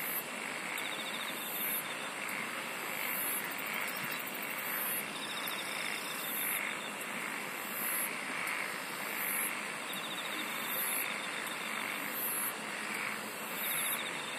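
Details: A natural insect chorus with a continuous dense buzz, very high pulsed bursts recurring roughly every one and a half seconds, and intermittent fine trills running beneath.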